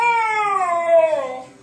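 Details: Four-month-old husky puppy Kodiak protests being called downstairs with a single falling, whiny howl, clear stacked harmonics gliding down and trailing off, recorded indoors.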